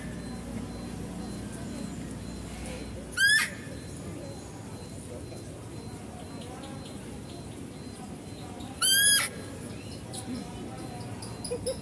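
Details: A female deer at a zoo, heard while a male deer is being fed, gives two sharp, steeply rising squealing calls about six seconds apart.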